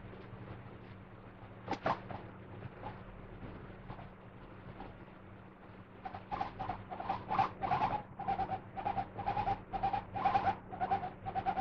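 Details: Pet guinea pig in a good mood, chattering contentedly in its favourite bed with a soft 'hoyo hoyo' sound. It is quiet at first with a single click, then from mid-clip gives a steady run of short, soft, rhythmic notes about twice a second over a low hum.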